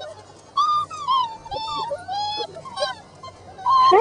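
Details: Five-week-old Border Collie puppies from Lash's litter, playing outside, give a run of short, high, tonal whines and yelps in bursts, some rising and others falling, with brief quiet gaps between them.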